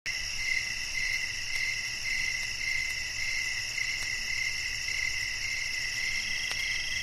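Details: Crickets at night: a steady, shrill chorus of high, buzzy trills held in layered bands, pulsing in a fast, even rhythm with no pauses, over a low background hum.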